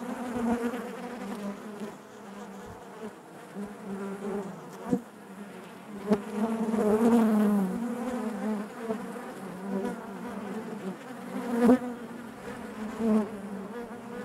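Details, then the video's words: Honey bees humming within the hive, a constant low buzz with rich overtones, one nearby bee briefly whining louder and higher midway, occasional clicks and taps throughout. "bees therapy hive natural buzzing sound"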